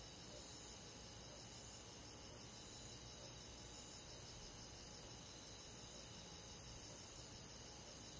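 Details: Crickets with other insects of the forest at night in summer, an even wall of high trilling overlaid by sharp pulses about once per second, constant in loudness from start to finish.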